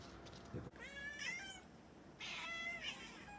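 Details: Pet cat named Mami, whose meowing is called funny and cute, utters two drawn-out, slightly wavering meows, the second louder and higher, after a brief knock.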